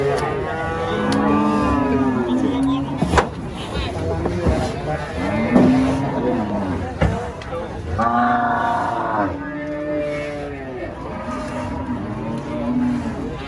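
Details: Giant female cow raging while being loaded under a tree said to be haunted; several drawn-out, arching lowing moos at intervals, mixed with people talking and a steady vehicle-like rumble.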